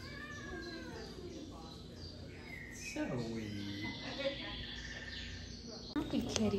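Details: Zoey, a domestic cat at the Greensburg Cat Cafe who is up for adoption, upset on first arriving in the room: drawn-out yowls sliding down in pitch, with background music and a woman speaking softly to her.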